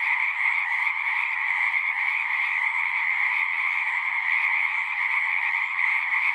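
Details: Natural frog chorus: dense, overlapping trilled calls forming an even, high droning buzz, slightly pulsing, sustained without pause and free of other noticeable sounds.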